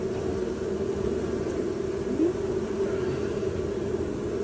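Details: Honey bees from a live colony being removed from an apartment soffit above a window in July 2023: a steady, low, droning hum holds at one even pitch throughout, with no other clear sounds.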